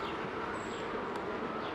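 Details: Honey bees at a hive being opened by a beekeeper, with drones crowding the feeder; a dense, steady droning hum fills the short stretch, with a faint high whine overhead.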